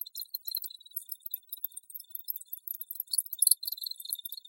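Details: Insistent high cricket chirping, quick bright pulses over a faint continuous trill, with a brief louder burst of overlapping calls just past the midpoint.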